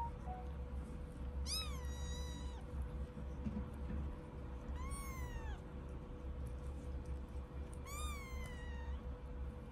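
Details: Three high, thin British Shorthair kitten meows, one of a litter of five born on 9 April 2024, each rising then falling in a sweeping arc about three seconds apart over a steady low hum.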